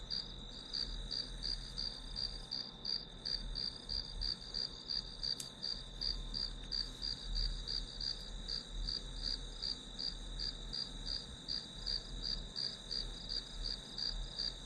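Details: Grass insect sounds used for a study session: shrill, evenly pulsed chirps, roughly three per second, layered over a constant high-pitched trill, with a soft low rumble and one brief click.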